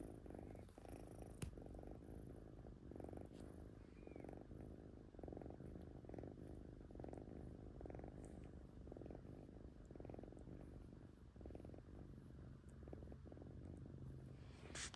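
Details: Kitten Latte purring in her sleep, a deep continuous rumble throbbing with each inhale and exhale, unbroken for the whole stretch with only faint small room noises.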